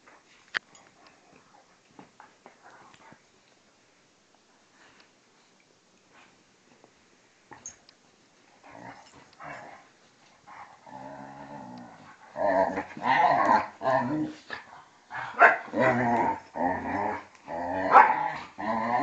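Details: Vizsla and pointer play fighting, Tarkas now two and a half and Noonoos twelve; scattered soft clicks and scuffles at first, then growing, then loud, repeated snarling growls in quick uneven bursts about once a second.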